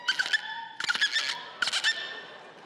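Dolphin squeaks in three quick bursts, with buzzy click trains and thin, steady whistles.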